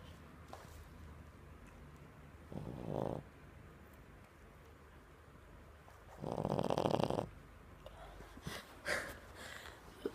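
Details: A dog asleep on a couch snores: two long, rasping, throaty snores, near three and seven seconds, separated by quiet breathing, then a few short soft snorts toward the end, in a quiet room.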